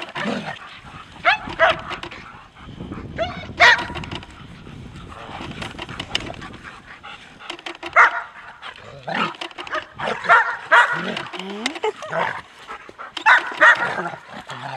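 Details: Lyon and Nellie, German Shepherds of Seelenvoll kennel in Maine, in rough play: grumbling growls, scattered barks and yelps, with scuffling through the clip.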